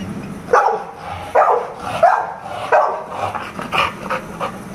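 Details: Jack, a friendly American Bully: about seven short, punchy barks at uneven intervals, some doubled, over a low background hum.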